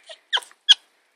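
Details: A captive-raised squirrel gives three short, high, scratchy squeaks, an infant-like begging noise she makes when she really wants something, here throwing a fit for treats; not normal squirrel noises.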